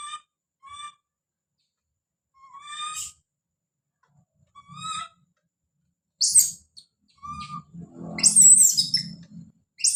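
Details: Baby monkey screaming as it calls out: scattered short harmonic cries with rising-falling inflections, separated by silences, then a harsh broadband squeal near the end over low rustling and handling noise.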